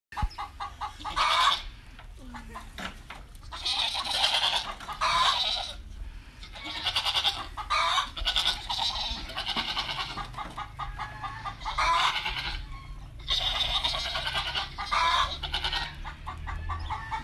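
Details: Male Teddy goats calling: repeated loud, harsh, broadband bleats about a second long with a quavering, pulsed texture, several in sequence with short gaps between.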